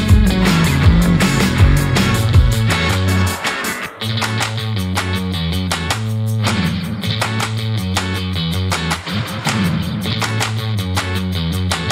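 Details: Loud rock music with distorted guitar and heavy drums plays throughout, with no animal sound heard.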